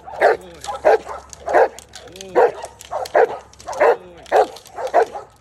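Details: Giant Schnauzer barking during personal protection training: deep, forceful barks repeated steadily about every two-thirds of a second, roughly eight in a row, with a faint low hum beneath.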